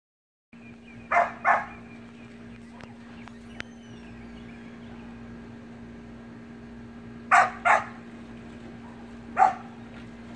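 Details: Samoyed puppy and siblings playing in a pool: two quick yappy barks, a long pause, then two more barks and a final single bark, over a steady low mechanical hum.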